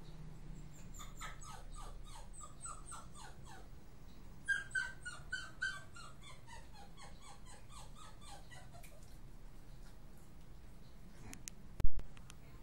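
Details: Arrow, a Miniature Pinscher, whimpers steadily in a dense string of brief, high, downward-sliding whines, with a louder, squeakier burst around the middle; the series fades out, followed by a sharp knock near the close over a soft indoor hum.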